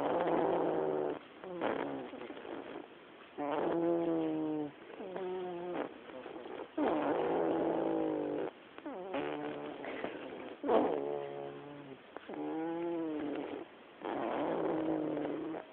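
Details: Snoring black house cat asleep in a living room, rhythmic buzzy breaths with a low hum, each about one to one and a half seconds long and repeating every two seconds or so, separated by short quiet gaps.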